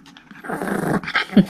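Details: Tiny Pomeranian puppy, one of three sisters with Erica, Haengun and Sarang, indoors at home while asked to give a paw: a low, rough growl swells for about half a second, then short yaps, with a human voice around it.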